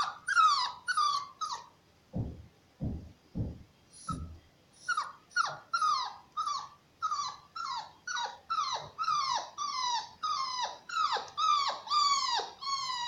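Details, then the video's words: Shar Pei cross puppy awaiting adoption, barking in quick high yelps, nearly two per second, briefly interrupted by a few low thuds before the yelping resumes steadily to the end. "mestizo de shar pei"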